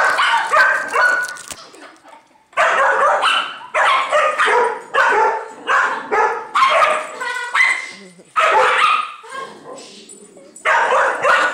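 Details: A female Dachshund, very angry, barks in rapid, harsh bursts while defending her "nest" from a neighbour's dog that wanted to play, with people talking nearby.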